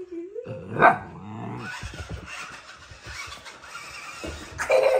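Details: Young husky puppy, filmed two days after arriving in its new home, reacting indoors to a remote control car; a rising whine opens, then short harmonic yips and whimpers amid household noise and a baby's sounds.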